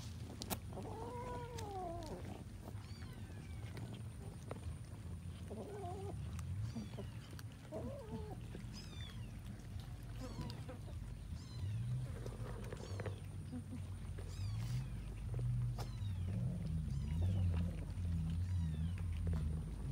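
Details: Cats eating rice with fish give several short arched meows, clearest near the start and again in a pair a few seconds later, over a steady low rumble and scattered clicks.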